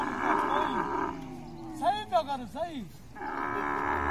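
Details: Camel during mating, giving a few short groaning calls that arch up and fall back in pitch in the middle of the stretch, set between bands of steady broadband rushing noise before and after.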